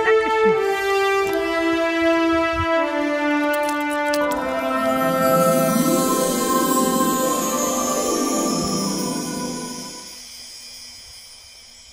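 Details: Orchestral brass music swells with a brief voice near the start, then fades toward the end; no animal sound is heard.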